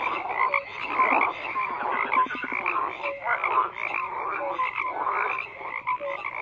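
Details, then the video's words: Frogs croaking together in a dense chorus, overlapping calls in a steady mass, with short tonal notes and brief rapid clicking bursts standing out. "FROGS CROAKING"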